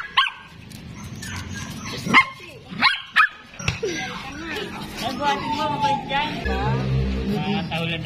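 A Pomeranian gives several sharp, high yaps, followed by a person talking over light music.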